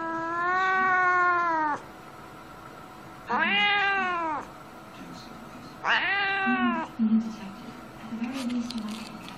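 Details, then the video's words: Domestic cat meowing incessantly: three long, harmonic-rich meows, the first flat and steady for nearly two seconds, the next two arched and rising then falling, separated by short pauses, with faint lower murmurs at the end. "cats of every species and incessant meowing"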